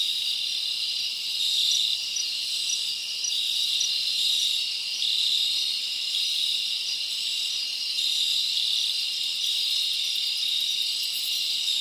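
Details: Night-time cricket chorus in a summer forest: a continuous high trilling wall of sound, clusters of brighter chirps repeating through the stretch, loudness gently swelling and easing.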